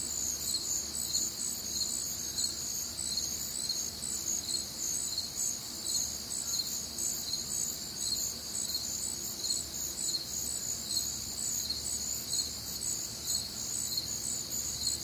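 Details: Night chorus of crickets during a warm, humid summer night in the Midwest; bright high chirps pulse at a steady rate of roughly two per second over a continuous shimmering trill, soft low rumble beneath.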